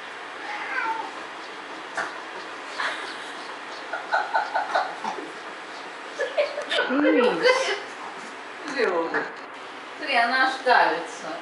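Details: Female domestic cat indoors reacting to another visiting cat, giving drawn-out, wavering yowls with rising and falling pitch, loudest near the end, alongside a person talking quietly.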